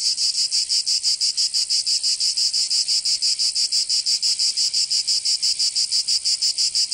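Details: Cicadas singing in summer in Provence, southern France: a dense, high, buzzing drone pulsing steadily about three times per second, with each throb swelling and fading evenly and no other sounds.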